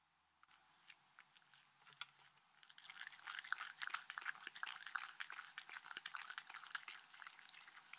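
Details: Mindy, a Shetland Sheepdog, eats dog treats in a small room. After a few soft clicks the crunching starts loud and fast, bites cracking roughly three times per second.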